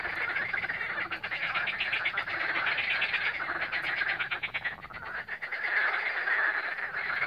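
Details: Many frogs croaking together at the Lake Balaton shore in Siófok-Aranypart, Hungary, in mid-May 2021, phone recording: a thick, unbroken wall of rapid rattling croaks, swelling and easing slightly.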